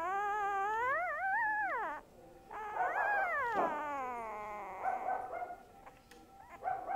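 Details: A dog called Boo Boo lets out loud, rich howls, the first climbing and wobbling before falling away, the second long and steady, trailing into softer whines.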